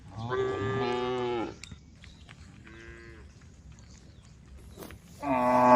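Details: Cattle heading along the road to the barn call to the herd. A strong, wavering moo of over a second comes first, then a brief faint low call, then another loud moo starting at the close.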